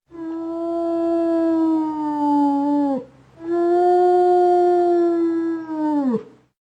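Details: Two drawn-out wolf howls from an animal guessing game, each steady and tonal for about three seconds before dropping sharply in pitch, separated by a brief silence.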